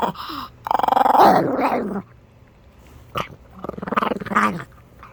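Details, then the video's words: Small Chihuahua from Minneapolis growling: a rapid, pulsing, buzzy growl over about a second, a quiet pause, then two further shorter rattling growls rising and falling in pitch. "STAR WARS SOUND EFFECTS MAKER, CHIHUAHUA"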